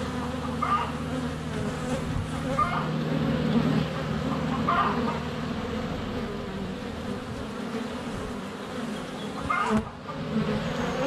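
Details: Constant low hum of honey bees flying at the hive entrance, recorded on a sunny February day by a GoPro placed within a foot of the hive, with occasional bird chirps and a sudden dip as a bee lands.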